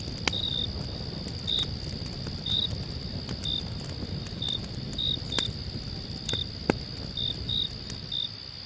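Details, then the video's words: Cricket chirping at night beside a crackling fire: bright short chirps, sometimes doubled, recurring irregularly over a constant high drone, punctuated by sharp pops and a soft low rumble. "cricket sounds"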